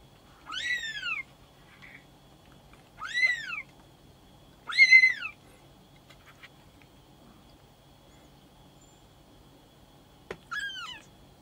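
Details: An 8-day-old brown male Maine Coon kitten gives high, thin mews that arch up and fall away.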